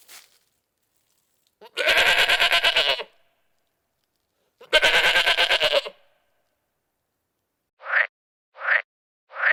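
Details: Two long, harsh, pulsing goat bleats, each over a second in length with a rapid stuttering tremor, followed by three short, higher, rising calls in quick succession near the end.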